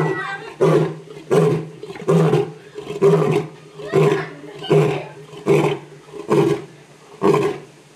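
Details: Roaring lion at Memphis Zoo in a run of short, deep, grunting bursts, each punched out roughly every three quarters of a second in a steady, rhythmic series, no other sounds prominent.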